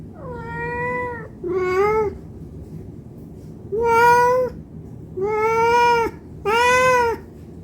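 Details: Cat meowing for food because it is hungry; five clear meows, the first two slightly falling then rising, the last three bright and level, separated by short pauses.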